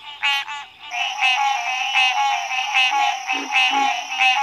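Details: Frog croaks in quick, overlapping raspy bursts over a steady high electronic-sounding whine, with a few softer low notes near the end.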